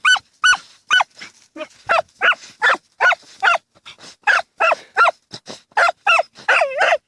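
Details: Dachshunds Tasya and Kessi busy digging in a field in autumn 2015, giving rapid, excited high barks almost continuously, some rising into yelping tones toward the end.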